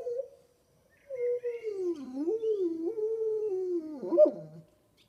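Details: Kuvasz dog making a talking sound: a long, wavering, howl-like moan of about three and a half seconds that dips and rises in pitch, ending in a brief higher yelp and a low grumble.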